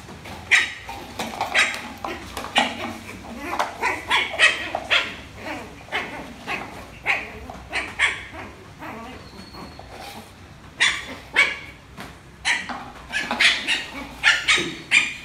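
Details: A Lhasa Apso puppy, barking for the first time while playing with a rolling box, gives a run of short, high, yappy barks, several each second.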